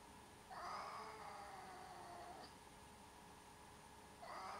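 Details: Cat giving a long, drawn-out wailing meow lasting about two seconds, steady then slowly fading, followed by the start of a second call near the end; faint, over a constant background hum.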